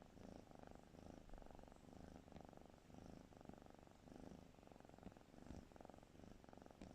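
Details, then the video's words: A sleeping cat snoring softly indoors, low rhythmic breaths repeating roughly every half second, a steady rumbling purr-like texture throughout. "Snoring kitty"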